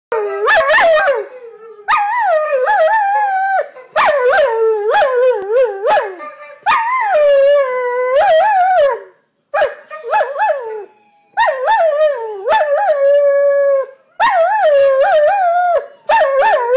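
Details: Two greyhounds roo'ing together, a drawn-out singing howl in repeated bursts of about two seconds, each wavering and sliding in pitch with rich harmonics, separated by brief pauses.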